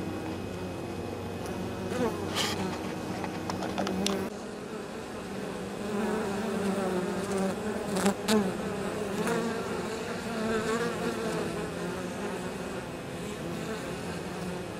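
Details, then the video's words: Many honey bees bringing pollen and nectar into the hive on a mild 23 October near fields: an even background drone of the colony, overlaid by individual bees' buzzes sliding up and down as they pass close, plus scattered sharp ticks. "Abeilles. Rentrées de pollen et nectar le 23 Octobre"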